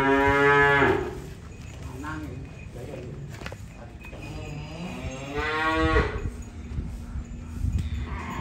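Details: Moos from cattle being unloaded: a loud opening bellow, quieter grunting calls, then another long harmonic moo near the end, with knocks and a low background hum.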